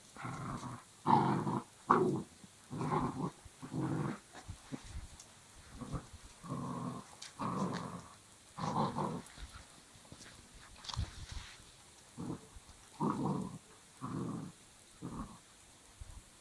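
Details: Belgian Malinois puppy playing tug with a rope, growling in repeated low bursts, roughly one per second, each rough and broad, with short gaps between them; indoors, no other clear sounds.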